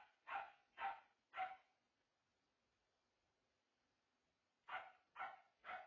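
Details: Pet dogs, a corgi and blue heeler mix and a bigger shepherd mix, newly brought home; three sharp barks in quick succession, a pause of about three seconds, then three more barks.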